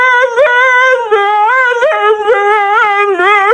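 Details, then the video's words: A dog makes a loud, steady, nasal whine-howl, held tones broken by quick upward yelps about every half second, sounding almost like a voice chanting. "Dogs sometimes make such strange sounds"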